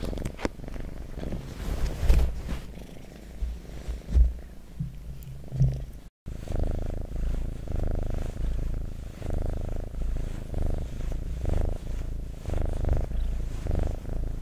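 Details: Pet cat purring steadily, a deep buzzing rumble with uneven rustle and handling noises early on, then regular breath-timed pulses of purring.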